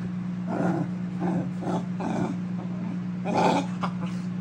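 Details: Keeshond dog having a temper tantrum, giving a run of rough, grumbling growls in short bursts about half a second apart over a steady low electrical hum.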